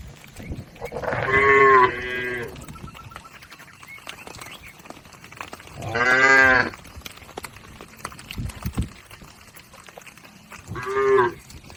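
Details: Cattle herd crossing a river toward the farm pen, lowing three times about every five seconds, each moo drawn out and rough-edged, with faint rustling and clatter between calls.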